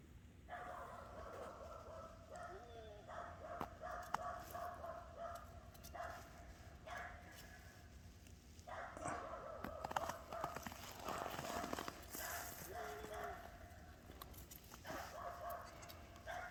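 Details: Boer goat kids, seven days old, leaping and playing outside on a snowy, cold morning; a string of drawn-out, steady, nasal bleats repeating every few seconds over footsteps and rustling.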